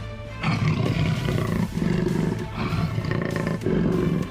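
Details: A jaguar gives deep, rumbling roars in a string of long, throaty bursts, with music playing behind.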